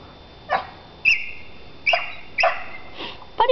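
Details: Four-week-old puppy giving a string of short, high whimpers and yips, several rising then falling, spaced about half a second apart, with a soft background hiss.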